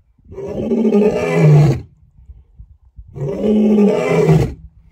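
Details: Roaring lion keeping rivals away, giving two drawn-out, deep, groaning roars of about one and a half seconds each, separated by a short pause with low rumbling breaths.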